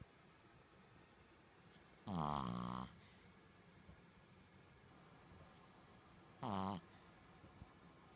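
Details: Sleeping Shih Tzu snoring like a person: a long, harsh, low rasping snore, then after a pause of about four seconds a shorter, fainter one, in a quiet indoor setting.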